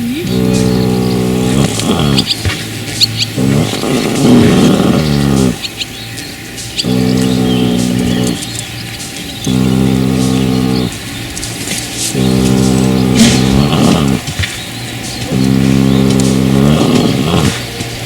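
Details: Bear, a three-month-old colt born to a Dutch Draft mother and a Shire father, snoring in low, buzzy, droning breaths of about a second or more, repeating every two to three seconds, with bird chirps and faint music behind.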